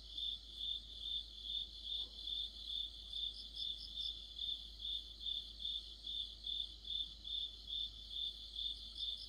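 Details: Autumn insect orchestra of crickets and friends by a streetlight, a bright high chirp repeating evenly a little faster than twice a second, layered over softer shimmering trills from further callers.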